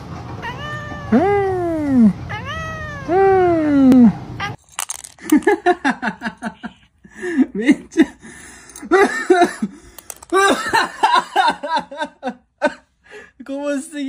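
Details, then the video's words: Two long, bending meows from a domestic cat reacting to food open the stretch, followed by a run of short, choppy mews and chirps mixed with clicks and rustling. "FUNNY CAT REACTIONS TO FOOD"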